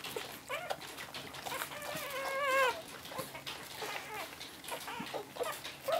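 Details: Cocker spaniel puppies, 11 days old, making thin, high wavering whines and squeaks, one longer quavering cry in the middle, amid constant rustling and clicking handling noise.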